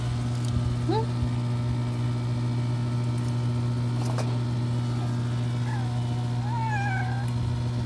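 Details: Shy ginger cat, back again but unwilling to eat, gives a short upward meow followed later by a longer wavering, drawn-out meow, with a loud constant low hum and scattered clicks.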